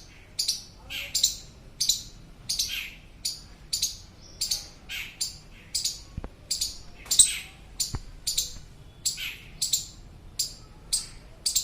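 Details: An Indian palm squirrel gives loud, sharp, high chirps, repeated steadily about every two-thirds of a second, calling a companion that got separated from its group.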